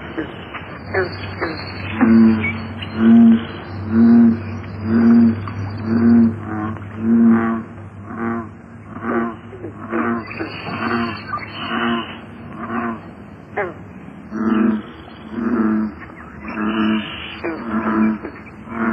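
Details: American bullfrog calling: deep, resonant droning notes repeated about once a second, in two bouts separated by a short pause near the middle, with a steady low hum under the first half.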